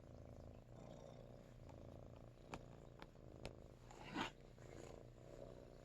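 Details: Ruri, a Russian Blue cat after neutering, gives a soft, low vibrating purr that runs on without a break, broken by a few sharp ticks and a brief rustle near the end, with quiet news-broadcast speech behind.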